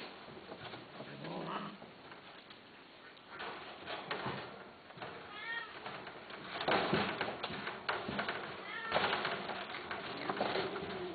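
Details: Domestic cats offered for sale in 2011 give several arched, harmonic meows, rising then falling, with the clearest cry near the middle. Muffled voices and handling noise sit underneath.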